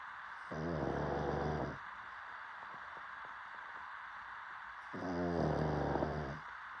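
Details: Two rumbling, buzzy snores from a sleeping dog, each over a second long and about four seconds apart, with soft background hiss between breaths.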